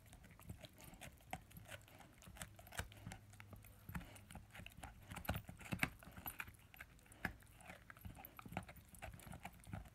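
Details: Ten-month-old German Shepherd and Labrador cross puppy chewing on his first bone: dense, irregular crunching and gnawing clicks and soft thuds throughout, close and quiet.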